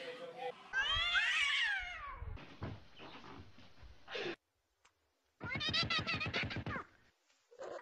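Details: Domestic cat giving a loud, drawn-out meow that rises and then falls in pitch, followed by rough, noisy sounds, a brief silence, then a rapid pulsed, throaty series of harmonic calls and a short final note indoors.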